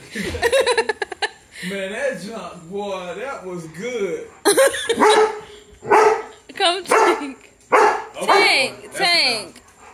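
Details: German Shepherd discovering his own reflection on a deck door, having never been around mirrors. High whining yips and sharp barks repeat in bursts. His owner talks soothingly and laughs throughout.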